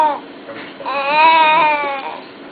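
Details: Ethan the wolf gives a brief squeak, then one sustained tonal whine, slightly arched in pitch, about a second long and fading at the end.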